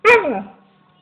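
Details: A female Alaskan Malamute gives a single sharp bark that slides down in pitch and fades quickly.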